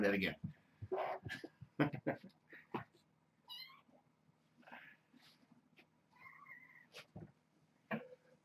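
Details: Hungry kittens at the Purrfect Pals shelter in rowdy morning play before breakfast. A few thin, high, harmonic meows, one held and one wavering, come between a man's speech and scuffling thumps in a small room.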